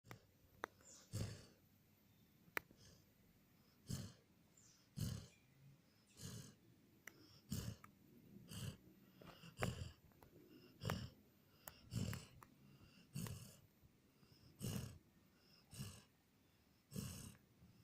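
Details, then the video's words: Border Collie named Jon snoring while asleep, recorded 14 April 2018; short breathy snores recur roughly every second, each a low rumble with a faint hiss above, with a few sharp clicks between. "Jon Border Collie roncando dormindo"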